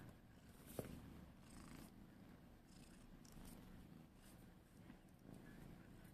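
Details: Lemon the cat, at play, purrs in a low continuous rumble with a faint fluttering texture, broken by a sharp click near the start and soft rustling throughout.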